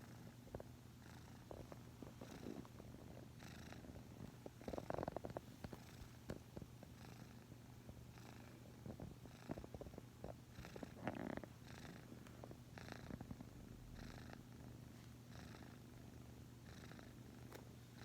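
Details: Pet cat purring while asleep, leaning sideways after resting its chin on a person's leg: steady low rumbling purr throughout, with rhythmic breathing pulses and occasional soft rustles.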